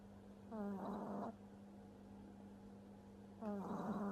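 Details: French Bulldog puppy sleeping and snoring heavily indoors: two raspy, rattling snores, each under a second long and about three seconds apart, over a steady low background hum.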